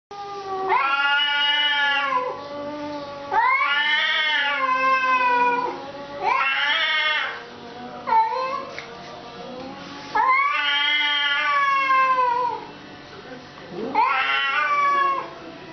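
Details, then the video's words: Cats in a fight give long, wailing caterwauls that rise and fall in pitch, drawn-out yowls of about two seconds each, repeated with short pauses between them. "cat fight"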